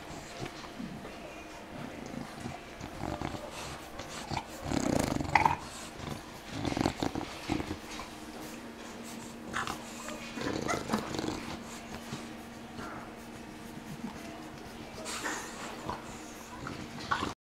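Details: An English Bulldog at play gives short, rough growls and snorting grunts in irregular bursts, with a steady low hum behind.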